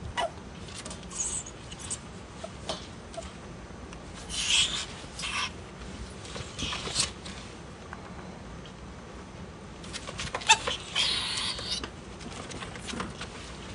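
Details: Two pet ferrets at play, Gidget a blaze female who does the hissing and Jinx an albino male who dooks and giggles; several breathy, broadband hiss bursts around four to five, seven and ten to eleven seconds over soft rustling and scuffling.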